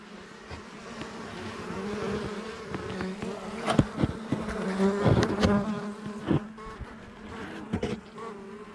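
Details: Honey bees of a well-established colony living inside a house wall for about two years, disturbed during a cutout: a steady low droning hum with layered overtones, broken by sharp knocks and scraping from the work on the wood.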